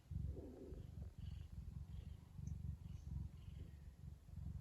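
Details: Contented purring from Lily the Ragdoll cat, relaxed and happy rather than threatening: a low rhythmic rumble rising and falling with each breath. A brief soft higher tone sounds near the beginning.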